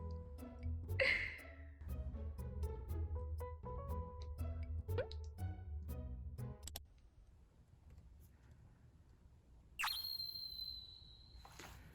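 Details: Bouncy children's-style music with plucked notes, then a quieter gap and a long flat electronic tone; no animal voice.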